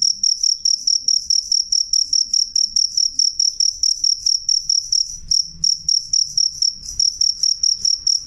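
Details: Loud, clear jangkrik song: short, bright, high-pitched chirps pulse in a fast, even rhythm, roughly three per second, over a quiet background.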